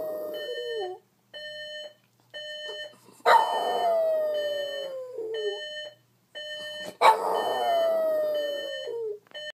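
A Boston Terrier lets out long, falling howls over the steady beeping of an alarm clock.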